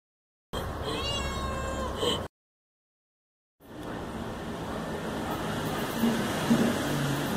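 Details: Jessica, a two-year-old Siamese mixed-breed cat, alert in the wall watching for potential prey, gives a drawn-out, wavering meow, followed by a steady background rumble.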